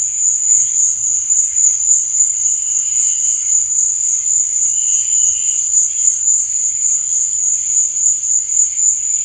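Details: Nighttime cricket chirping forms a constant high-pitched ringing drone. Softer, lower trilling bursts appear around the middle, and there are no other clear sounds.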